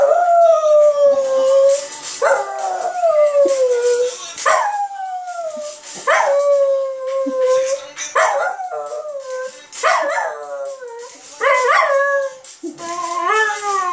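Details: Westie howling in response to Sam Smith's singing; a series of rising-then-falling howls, roughly every two seconds, each bending down into a long tail, with faint music and voices behind.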